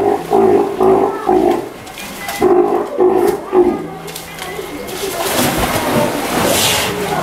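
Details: Young Steller sea lion, one year old, kept at an aquarium in Ise, Japan; a burst of short, repeated moaning calls in the first seconds, then a rushing noise and human voices take over.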